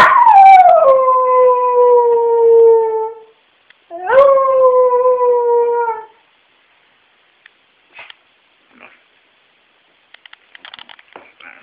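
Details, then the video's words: Fritz the dog lets out a long howl that slides down from a high start and settles into a steady tone. A second howl of about two seconds rises sharply, then holds. Faint clicks and rustles follow in quiet. "Fritz Barks"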